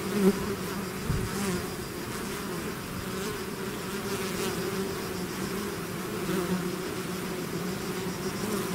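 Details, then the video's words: A swarm of bees pouring from the hive makes a thick, even drone, a sharp close buzz or bump at the start and another about a second later, then steady humming with single bees flying past the microphone. "bees therapy swarm natural buzzing sound"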